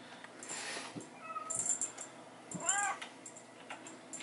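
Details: Bengal kittens at play with their mother and a teaser in a hallway; one short arched harmonic meow stands out near the end, preceded by a faint thin call and rattling, scuffling play noises.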